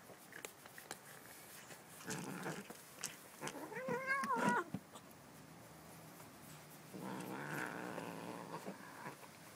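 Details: Stanley the house cat growls low and rough, then rises into a short wavering yowl near four seconds before a longer rumbling growl at the end; scattered clicks throughout.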